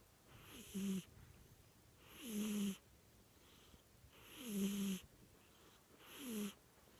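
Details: Sleeping cat snoring: four breathy snores in seven seconds. Each snore has a low, slightly wheezy drone and a soft airy hiss, and quiet pauses fall between the breaths.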